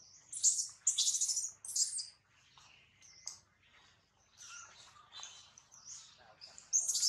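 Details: A newborn baby monkey separated from its mother calls for her and her milk with shrill, bird-like squeals: three loud bursts in the first two seconds, then softer chirps, rising loud again at the end.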